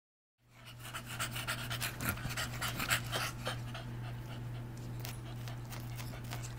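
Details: Female English Bulldog in heat, with a neutered male dog nearby, recorded August 2010; rapid rhythmic breathy panting about four breaths per second, noisy and broadband, over a constant low hum.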